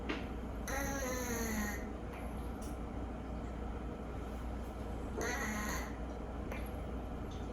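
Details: Rescued cat awaiting adoption, saved from a 50-cat hoarding case. Its nose is always slightly blocked, and today it snores louder than usual while asleep indoors. Two squeaky, whistling, falling snore tones, about four seconds apart, over a low hum.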